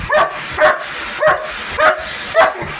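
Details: Police dog barking at a vacuum cleaner indoors: five sharp, fairly high barks spaced about half a second apart over steady vacuum noise.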